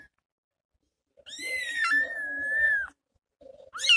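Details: A lone kitten, its mother gone off to find food, gives one long drawn-out wailing meow holding a steady high pitch for well over a second, followed by a short murmur and the start of another cry.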